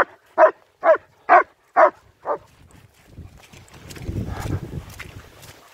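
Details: Five loud, evenly spaced barks, about two per second, from German Shepherds Nico and Zeeva during a winter wander in Hawick, Scotland, followed by trampling footsteps and low rumbling noise.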